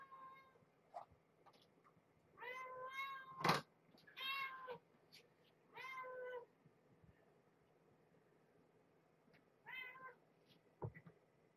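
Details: Domestic cat at dinner time in a cage shared by mother cat Marge and her kittens in a box, indoors. Four drawn-out, harmonic, rising-and-falling meows over about four seconds, then one shorter meow later, with a few sharp clicks and quiet room noise.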